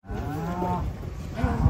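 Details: Giant cattle being unloaded from a truck, tied together so they cannot run off; one gives a low, steady, drawn-out moo lasting about a second, followed by a man speaking briefly and a few thumps.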